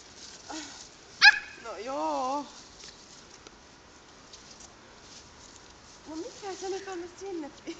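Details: Halti, a hyper Samoyed, gets excited on a walk, filmed on a Samsung Galaxy S2: a sharp click, then a wavering, drawn-out rising-and-falling whine. A few seconds later comes a run of short whiny yelps.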